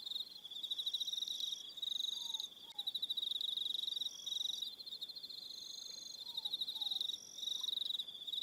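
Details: Crickets calling in the evening on Aroha Island in New Zealand, rapid pulsed high chirps in long bursts broken by brief pauses, layered callers at slightly different pitches, and faint low falling whistles in the background.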